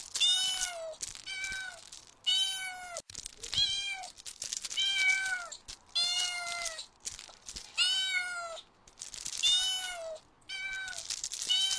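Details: Outdoors on grass while chasing butterflies, kittens meow insistently, about eight high, bright mews repeated every second or so, each with a slight downward curl at the end, in an otherwise quiet setting.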